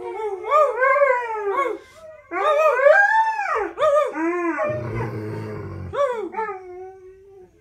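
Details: Two dogs named Coda and Diesel howling together, overlapping drawn-out tonal howls that rise and fall in arcs, with wavering, yipping breaks between phrases and a brief rougher, lower vocal burst in the middle.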